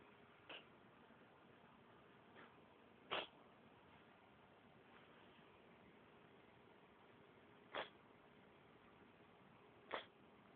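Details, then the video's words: Domestic cat sneezing indoors: three sharp, explosive bursts near three, eight and ten seconds, with two softer sneeze-like puffs earlier, over a quiet room hiss. "Sneezing cat"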